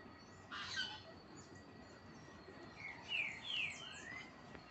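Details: Marmosets while being fed give high, thin chirps and quick twitters, then a short run of clearer downward-slurred whistled notes near the end, with light background noise.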